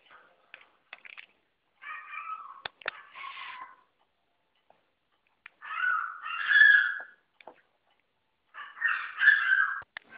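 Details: Female Poodle asking for affection, giving three drawn-out, nasal, wavering whines of about a second each, separated by pauses, with light clicks and taps in between.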